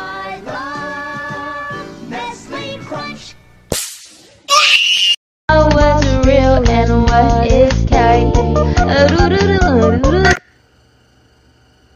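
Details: Upbeat children's-style music with synthetic singing plays, broken by a brief silence and a sharp whip-like sound, with no animal calls present.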